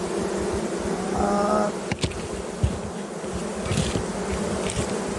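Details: Colony buzz from honey bees kept by a beekeeper, a continuous low droning hum with a brief thin tonal whine near the start and a couple of soft knocks.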